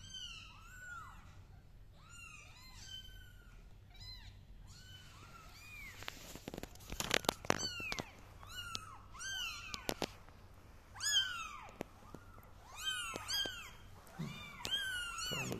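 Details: Kittens crawling on a carpet indoors, meowing: rising-falling mewing calls in irregular bursts, some overlapping, mixed with clicks and handling noises in the middle and faint speech.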